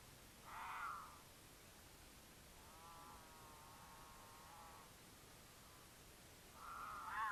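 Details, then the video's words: Courting mountain lion pair in Utah, passing a camera on their path; the female in heat caterwauls and the male sometimes replies. A short wail, then a long, steady, quiet harmonic moan, then another rising wail, over background hiss. "The Unforgettable Sound of a Mountain Lion Caterwaul"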